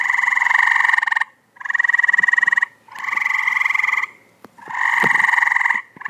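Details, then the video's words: Tree frogs calling in a pool give loud, rasping, pulsed trills, each lasting over a second and repeated in bursts separated by short pauses, with faint clicks and knocks underneath. "Tree Frogs in Pool 2014"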